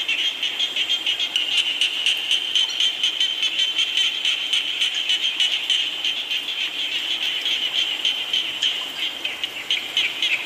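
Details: Frogs croaking in the rain, meant as a relaxing sleep soundscape: many overlapping high, pulsed calls form a thick, unbroken chorus, with faster bursts of clicking pulses and a constant rain hiss beneath.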